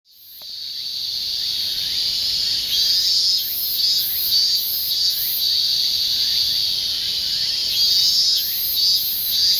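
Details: Insects calling in a dense, continuous high-pitched chorus, a steady shrill band with pulsing upper tones swelling and fading in bursts, after a brief quiet start.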